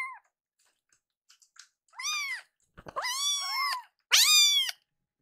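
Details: Hungry foster kittens protesting a delayed feeding indoors: a series of rising-falling harmonic meows, the later ones long and overlapping as two kittens cry together, with a brief click and faint rustling.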